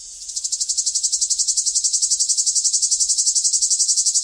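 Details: Summer cicada singing a loud, high, buzzy song that swells in over the first half second, then pulses steadily at about four beats per second, with no other sounds.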